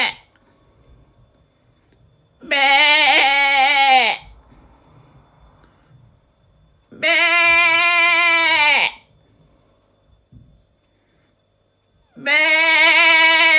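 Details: Repeated sheep bleating, the 'bah, beh' sound made when hungry, looking for the lamb or showing off. Three loud, quavering bleats, each lasting one and a half to two seconds, are separated by gaps of roughly three seconds in a quiet setting.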